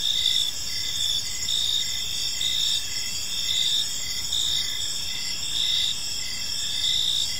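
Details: A peaceful evening park chorus of crickets: shrill, evenly pulsing chirps repeated around twice each second, multiple callers blended together, and gentle low background rumble.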